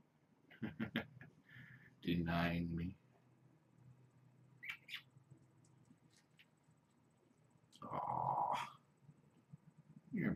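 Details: Indoor evening play time for foster kittens Ray and Egon and their young mother cat Janine; two drawn-out harmonic meows, the first low and the second higher and brighter, rise above soft taps and clicks, with a human voice close by.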